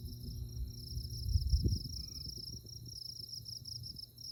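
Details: Insects chirping on a moonlit night in tallgrass prairie at Konza Prairie near Manhattan, Kansas: a steady, high, rapidly pulsed trill running without pause over low rumbling background noise, with a brief faint lower tone midway.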